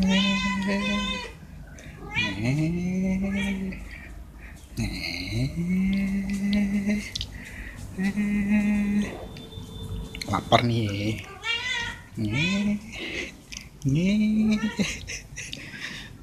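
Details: Stray cats wanting food or attention while being fed veg rissoles. Repeated low meows swoop upward and hold for about a second each, spaced a couple of seconds apart, with higher short meows and some clatter between them.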